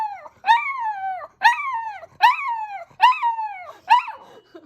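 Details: Two pet dogs, Kokomi, a nine-year-old toy poodle, and Momoka, a five-year-old Chihuahua–Maltese mix, howl along with an ambulance siren: five short wavering yelps, each sliding downward, about one per second.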